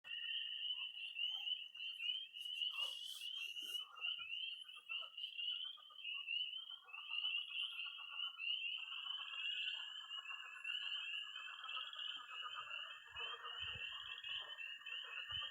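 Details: Night chorus of tree frogs, toads and pond frogs in early spring in Missouri: a dense high band of overlapping peeps and trills, with lower croaking pulses and a second steady trill joining midway.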